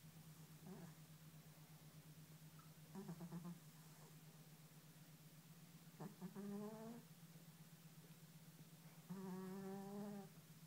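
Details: Fat orange pet cat snoring while asleep: four drawn-out, buzzy, voiced snores, each under a second, come roughly every three seconds over a steady low indoor hum.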